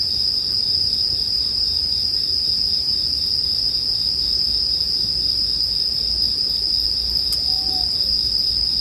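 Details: Bell cricket chorus ringing steadily at a single high pitch, with campfire crackle underneath, one sharp snap near the end and a faint brief sliding tone just after.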